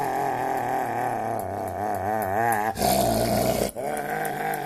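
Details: Excited pet dog, apparently wanting a piece of bread, makes a long wavering, warbling whine-like howl that rises and falls in pitch, broken by a brief burst of noise near the end; steady background hum.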